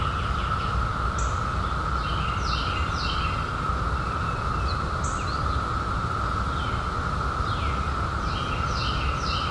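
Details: Cicadas sustain a level, monotonous droning hum while a few birds give brief chirps and sweeping notes at intervals, over a deep background rumble.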